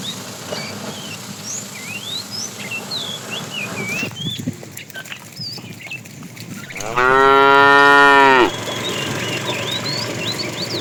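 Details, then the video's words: Tame cow herded to green grassy pasture in the morning, one long moo of about 1.5 s with a rich stack of harmonics rising slightly then falling, over busy chirping birds and faint background rustle. "Funny cow sounds"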